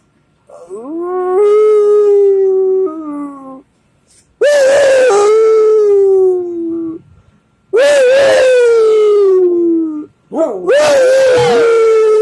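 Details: Dogs singing along, howling in three long drawn-out phrases, each starting with a rising yelp then sliding slowly downward, separated by short silences.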